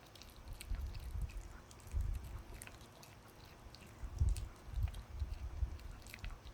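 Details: Puppy working on a dog chew: a few crisp, clicking bites and short crunchy bursts, loudest around the middle, over soft low thumping in a quiet indoor setting.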